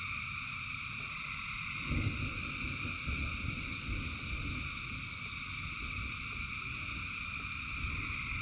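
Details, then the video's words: Frogs by the thousands singing in rain, a continuous shrill trilling chorus over heavier low rumbling rain, with a loud thump near two seconds and occasional dull knocks. "Frogs in Rain 2 Hours of Frogs, Thousands of Frogs Singing"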